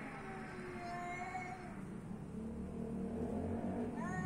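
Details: Street cats giving short, wavering meows, one in the middle and a rising one at the end, over a dense low hum and what sounds like background music.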